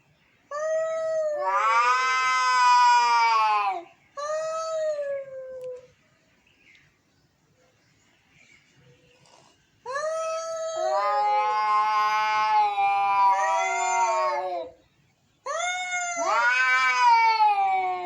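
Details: Angry domestic cats meowing indoors: long harmonic-rich wailing yowls, rising then falling, in three drawn-out bouts of several seconds each separated by brief quiet gaps.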